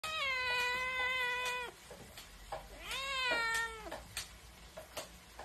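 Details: A cat meows twice, first a long, level, strongly harmonic cry of nearly two seconds, then a shorter arching one a second later. Scattered clicks and taps sound in between.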